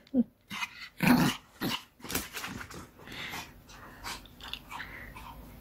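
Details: Pet dog playing with a ball indoors, giving two short rough growling bursts in the first second and a half, followed by softer scuffling and rustling as play continues.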